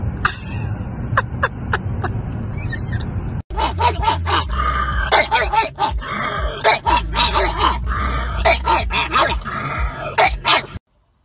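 A pug gives a run of sharp, high yipping barks in quick bursts.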